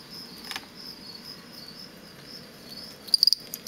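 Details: Captive male fall field cricket, offspring of wild ones from a roadside near Lethbridge, Alberta, sings aggressive song during contests inside a plastic bin. A single sharp, rapid burst of high pulses comes near the end, after faint background trilling and a scrape.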